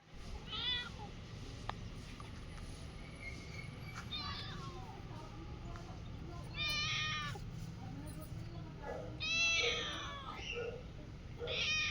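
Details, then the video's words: Domestic cat giving several short harmonic meows spaced a few seconds apart, some rising then falling, the later ones louder and longer, over a steady low background hum. "Funny cat sound"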